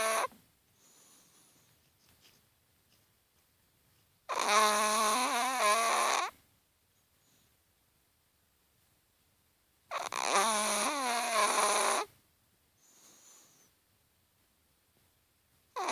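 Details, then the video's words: A Chihuahua snoring in its sleep indoors: two-second whining, harmonic snores come about every five to six seconds, separated by quiet breathing pauses with soft faint exhales in between. "Chihuahua Snoring"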